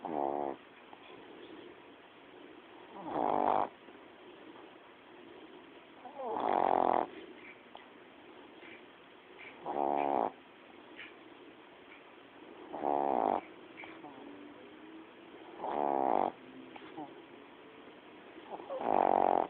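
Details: Coco, a pet female dog, snoring while asleep: raspy, buzzing snores about every three seconds, each lasting under a second, with quiet breathing between them.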